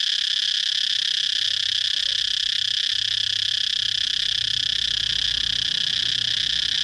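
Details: Cicada song as a continuous high, metallic buzz, even and unwavering for about seven seconds, with no pauses and no other noticeable sounds.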